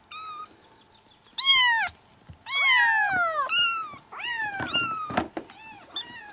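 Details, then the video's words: Kitten cries for drawing a cat over: bright, insistent meows in quick bursts, a long drawn-out mew near the middle, several calls overlapping like more than one kitten. "Sounds that will make your cat come to you and cuddle"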